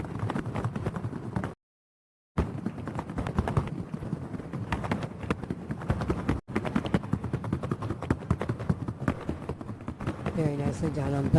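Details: Two Paso Fino horses ridden in unison on a wooden sound board at the Asheville Alive 2022 Piedmont Paso Fino Horse Association event; brisk, closely spaced hoof strikes rattle on, broken by a short dropout, with a faint tone near the end.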